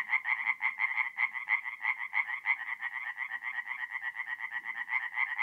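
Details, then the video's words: Tree frogs singing at night by a forest pond in North-East Italy in mid-April; distinct rapid croaks repeat about three times a second in a clear rhythmic series, a second caller overlapping. "relaxing forest pond by night with singing tree frogs"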